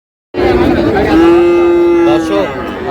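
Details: Friesian and cross-breed bull calves at the Raniganj cattle market in Dinajpur, Bangladesh, on 6 August: after a silent start, one long, steady, low moo holds for over a second, with market voices around it.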